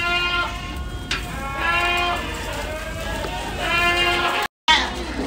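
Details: Several Ardi goats in a Kuwaiti breeding herd bleating in overlapping, wavering nasal cries, one after another. Human voices and farmyard clatter run underneath, broken by a brief cut near the end.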